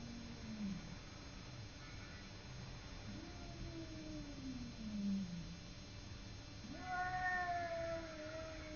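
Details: Simba the cat in a standoff with a neighbour cat: low, throaty growling yowls that undulate up and down, then a louder, higher drawn-out wail that slowly sinks.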